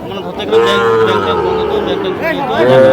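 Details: Sahiwal bull calves at Ambari cattle market in Parbatipur, Dinajpur, Bangladesh, on 14 June 2025: a drawn-out, level moo near the start and a second rising moo at the end, over men talking and busy market crowd noise.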